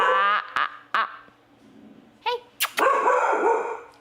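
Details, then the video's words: Chloe, a pet dog, barks at something indoors during a livestream while her owner tells her to knock it off; several sharp harmonic barks at the start and again near the end, with a woman's voice speaking in between. "She is barking at probably something."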